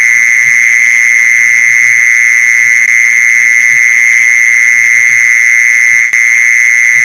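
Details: A continuous, even, high buzzing trill of a mole cricket, used as a lure for mole crickets. It never breaks, apart from a tiny click late on, with scattered faint low taps underneath.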